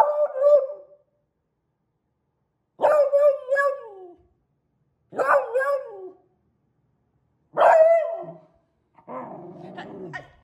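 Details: A young female lemon Beagle puppy, between about 2 and 10 months old, gives four sharp, yelping barks with a bright, ringing tone, spaced a couple of seconds apart, then a lower, rougher sound.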